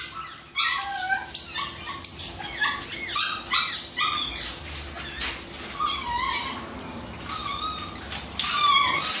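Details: Snow the Shih Tzu, on a first grooming visit, lets out repeated shrill, wavering yips and whimpers in irregular bursts over several seconds, with a faint hum in the room.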